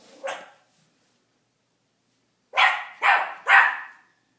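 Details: Teacup Miniature Pinscher indoors, barking at his own reflection: one short yap, a pause of about two seconds, then three quick, sharp barks in a row, roughly half a second apart.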